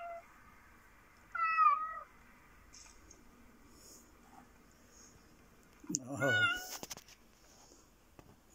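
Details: A Japanese black fluffy cat gives one clear, tonal meow that falls slightly in pitch over about half a second, while Sooty, another cat, watches; a woman speaks warmly near the end, over quiet room hiss.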